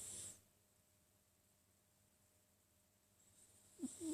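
A sleeping Sphynx cat snores with soft, breathy, wheezing rasps.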